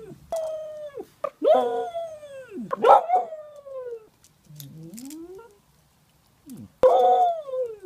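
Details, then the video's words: Dog singing or yodelling in a run of wavering howls that slide down in pitch, broken by brief yips and a low rising moan, with short silent gaps between phrases. "Dog singing / yodelling"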